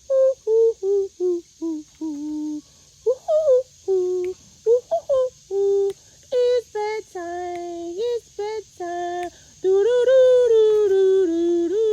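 A person sings and hums in short, melodic phrases in a small room, ending in a longer sustained tone, with no animal calls to be heard.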